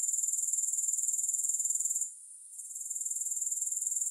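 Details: Grasshoppers trill in quick regular pulses, high and thin; the sound drops away for about half a second midway, then returns and continues.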